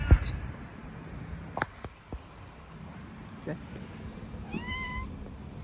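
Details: A fluffy stray cat living on the street meows as it is given food: one short, tonal, slightly rising meow near the end, over a steady low rumble with a few faint clicks and knocks.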